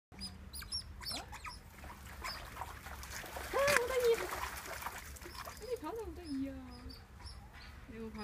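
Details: Asian small-clawed otters at Copenhagen Zoo trade sharp, high-pitched chirps and squeaks, mixed with lower, wavering whining notes that rise and fall, and faint voices murmur in the background.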